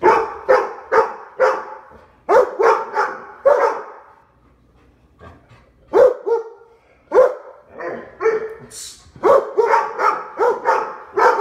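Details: Three Labrador Retrievers, including a four-year-old yellow Lab, bark at the door indoors in Omaha during a training session; rapid barks in runs of four or five, a lull of about two seconds, then renewed steady barking.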